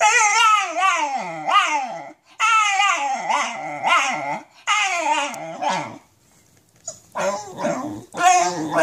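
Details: Basenji suffering nerve root damage howls from pain as it walks, giving long quavering, sliding cries in several bursts, with a brief pause before a final rougher group of wails.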